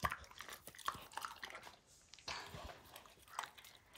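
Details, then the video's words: Max, a dog, working over a baseball until its hide is destroyed: light, snappy clicks and scraping bites come in loose clusters, with a louder ripping crunch midway. "Max Destroys A Baseball Hide | NOT ASMR | DOG CHEWING"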